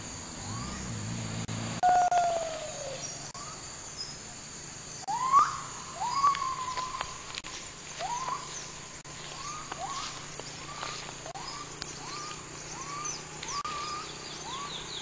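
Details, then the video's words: Gibbon howling in rainforest, opening with a long falling hoot, then building into a run of quick rising whoops that come faster and faster, with insects buzzing throughout. "Gibbon howling in rainforest"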